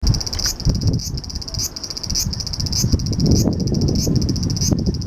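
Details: Cicada recorded in Japan in July, summer: a loud, high buzzing drone pulsing with a brief rising surge about every 0.6 seconds, over a low rumbling background of wind or handling noise.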